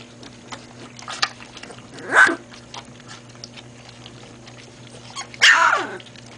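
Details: Great Pyrenees puppies learning to drink formula: two short, high yelping cries with downward-sliding tones, about three seconds apart, over a steady low hum and faint rustling.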